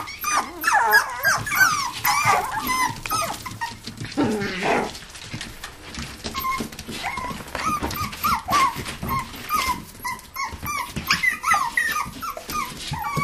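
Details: Toy poodles and Pomapoos playing in an indoor living room play area, dated 11/9/07; dense high whines and whimpers rise and fall over one another, with short yips and occasional low growls, plus a woman's voice and background music.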